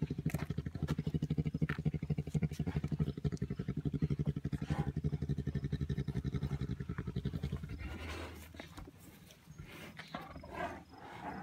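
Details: Bear purring while wrestling: a rapid, steady, deep pulsing rumble of about four beats per second for eight seconds, then fading into soft rustling and breathy huffs near the end.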